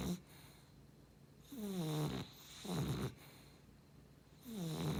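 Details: A beagle and cavalier cross dog snores in deep, rasping bursts, each a low rumbling breath with a drawn-out wheeze, coming roughly every one to two seconds with quiet pauses between.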